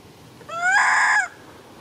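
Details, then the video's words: Loud crying of an infant monkey snatched from its mother by a young monkey, heard as one bright, harmonic wail that climbs, sustains evenly and falls away abruptly, with little else behind it. "Young Monkey Grab Cute Baby Handy From Mom Handa, Handa Crying So Loudly"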